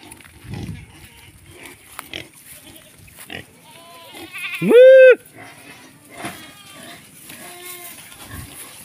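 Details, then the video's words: Native free-range pigs: one loud, strained, harmonic squeal swells and falls for about half a second midway, followed by softer squeals and grunts, with brief human speech around it. "native pig free range"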